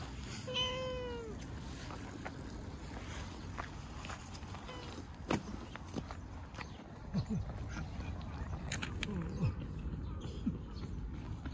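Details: ['Calico community cat, a neighbourhood stray, meowing as if asking for a backpack: one clear, drawn-out meow that falls slightly in pitch near the start, followed by low rumbling background noise and scattered soft taps.']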